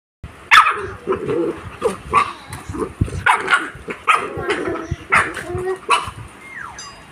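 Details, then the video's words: Two puppies, an Aspin Labrador and an American Bully, playing together: rough growls, yelps and short barks in quick irregular bursts, loud and close throughout. "Aspin Labrador and American Bully Puppy Playing."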